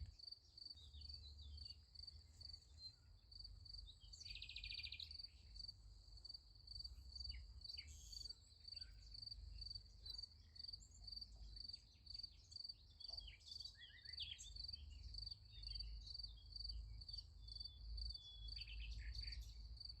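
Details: Night chorus of crickets by a sunflower field, a continuous high pulsing trill carrying steadily throughout, interrupted briefly by a buzzy bird-like burst and scattered chirps, over a low rumbling hum.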